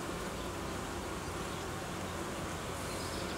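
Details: Colony of honey bees under reorganisation, newly built frames being withdrawn from the hive's edge in cooling weather; an even, rumbling drone of many wings holds steady throughout.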